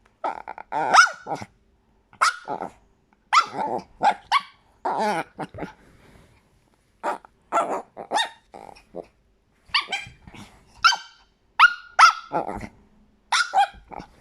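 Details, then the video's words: Chihuahua barking nonstop in shrill, squeaky yaps mixed with growly whines, clusters of two to four barks repeating roughly every second across the stretch, with only one brief pause, in an indoor room. "Chihuahua als Quietschtier"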